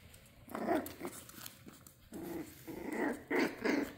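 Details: Dachshunds playing together indoors, giving rough, rumbling play growls in short bursts, with a pair of louder snarling growls near the end.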